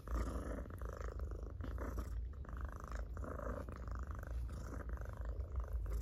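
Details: Pet cat purring hard under petting, a deep continuous rumble with rapid regular pulses and a few brief dips as breaths change, soft rubbing noises of fur over it.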